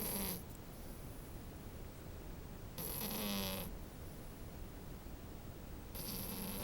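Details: Sleeping French Bulldog puppy gives three raspy snores spaced two to three seconds apart, harsh hissing breaths with a faint nasal whistle.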